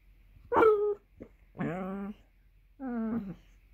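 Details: Millie, a Basset Hound, whining because she is hungry for her dinner: three drawn-out, tonal, nasal whines, each about half a second long and falling in pitch. Quiet pauses separate them, with a faint short sound between the first two.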